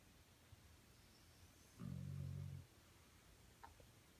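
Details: Dog snoring indoors: one low, rumbling snore lasting under a second near the middle, with layered low tones over a quiet, hissy background and a faint click near the end.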